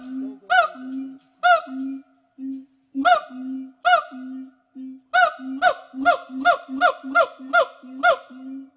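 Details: Gibbons rescued and rehabilitated by WFFT in Thailand trade short low hoots with sharp upward whoops, first spaced about a second apart, then quickening into a steady run of repeated whoops.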